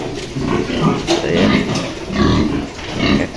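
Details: Pure Yorkshire breeding sow that gave birth the previous night, penned with her newborn piglets; low pig grunts come in short bursts over a man talking and background farm noise.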